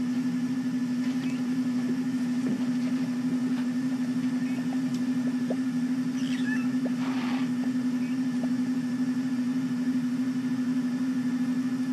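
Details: A steady low mechanical hum from an idling vehicle runs throughout, with faint scattered clicks and no clear animal call.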